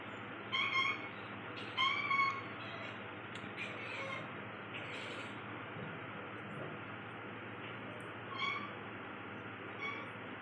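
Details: While trying to catch paper, the cat Bintu Chintu gives a series of short, high, bright meows and chirps, clustered early then spaced out, against a steady background hiss.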